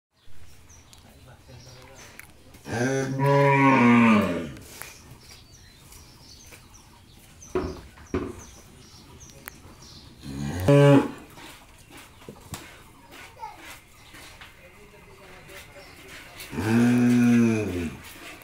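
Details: Jersey-Mundi cross dairy cow, newly calved for the first time and kept with her bull calf in Pabna, Bangladesh, gives long harmonic moos at about three and seventeen seconds with a short one between, people talking quietly in the background.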